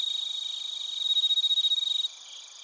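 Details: In Narita, Chiba, Japan, a nearby cricket recorded on a TASCAM Portacapture X8 delivers a loud run of rapid, evenly spaced pulsed chirps that stops abruptly, leaving a softer background insect chorus.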